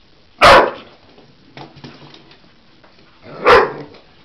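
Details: A Cocker Spaniel Husky mix dog gives two abrupt, full-voiced barks about three seconds apart, with faint rustles between, on seeing a toy animal for the first time and seemingly thinking it real.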